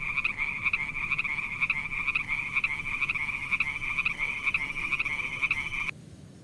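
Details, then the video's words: Frogs in a pond giving a steady throbbing chorus of pulsed croaks, louder accents recurring roughly every half second, ending abruptly in near silence at the close. "Funny little frog sounds"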